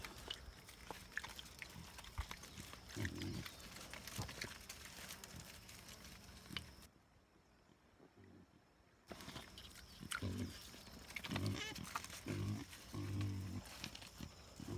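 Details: A wild boar and a sow, introduced to each other for the first time, give low, rumbling grunts in short bursts, with a quiet pause partway through.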